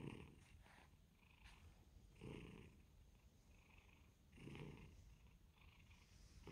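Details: A domestic cat, filmed for its reaction to WhatsApp and Facebook sounds, purrs softly in a low rumble that swells with each breath about every two seconds. Faint hiss sits in the background.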